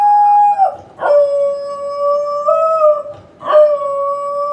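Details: Corgi. A Corgi gives a sustained, wolf-like howl, holding mid-pitched tones that waver slightly and step up and down. Two short breaks for breath split the howl into long, smooth phrases.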